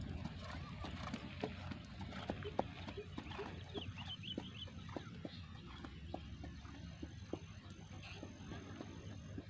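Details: Gayo racehorse Raja Tanpa Nama keeps training ahead of the 2023 traditional horse race event; faint, quick hoof clicks tick steadily throughout over a noisy outdoor background, with brief distant chirps.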